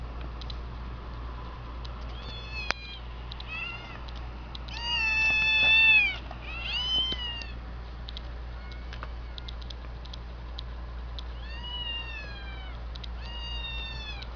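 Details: Kitten meows played from a laptop, heard by a household cat, in high, thin short bursts with one louder drawn-out meow midway over a low hum.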